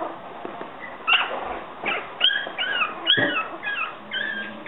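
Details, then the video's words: Yorkshire Terrier puppies giving thin, high-pitched whimpers, a series of arching and falling squeals about every half second, some sliding upward at the end, over a soft background hiss. "щенки/kutsikad yorkshire terrier"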